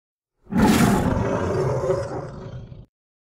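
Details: Tiger with cubs: one deep, rasping roar of about two and a half seconds, loudest at the start and then slowly fading, with a rough, broad tone and no other sounds.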